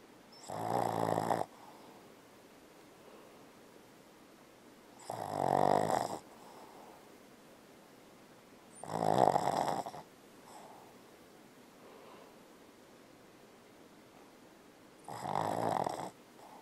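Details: Dreaming Boston Terrier Bella, asleep and snoring heavily: four rough, rattling snore bursts spaced about four seconds apart, each around a second long, separated by quiet breathing.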